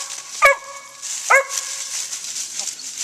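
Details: Daisy, a Gray's Mountain Feist, barks while hunting a squirrel in the woods: two sharp, ringing barks about a second apart, followed by quieter background hiss.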